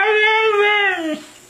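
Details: Siberian Husky dog 'talking', voicing 'I love you': one sustained, tonal, harmonic whine-howl lasting about a second, holding steady then wavering slightly before sliding downward and breaking off, in a quiet indoor room.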